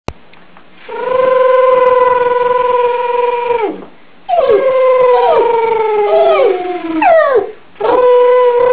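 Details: Benji, a pet Yorkshire Terrier, howls in three long, tonal bouts. The first is a steady, even note held for about three seconds. The second wavers and bends in pitch with quick dips. A third howl begins just as the recording ends, and nothing else is audible.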